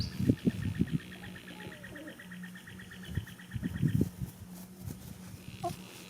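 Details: Goat asleep in a field on the first day of spring, snoring: low, rough breathy rasps in a cluster near the start and again around four seconds, while small birds chirp and trill behind it over a steady low hum.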